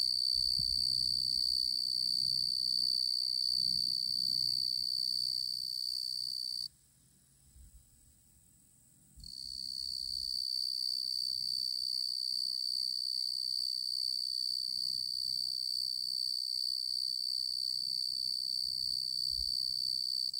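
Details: Male tree cricket (genus Oecanthus) singing a long continuous high trill that stops for about two and a half seconds, then resumes at the same steady pitch and loudness.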